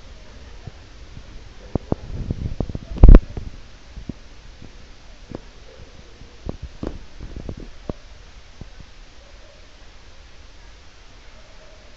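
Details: Scattered dull thumps and sharp clicks over a low rumbling background, with no animal voice present.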